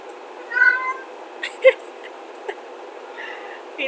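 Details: Male pet cat indoors meowing just before jumping up where he is not allowed; one short, faint meow early on and a softer one later, with clicks and thumps around it.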